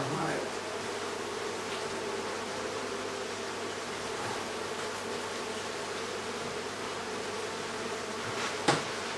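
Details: Near the centre of a bee hive inside a house in Aderet during removal: continuous low, throbbing buzz of many bees, a brief rustle at the start and one sharp click near the end.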